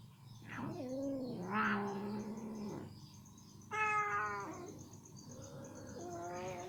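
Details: Ginger female cat, happily eating chicken meat that gets stuck in her teeth as she struggles to get it out, gives a drawn-out, falling meow, then a short sharp higher meow and a softer closing mew; faint steady hum behind.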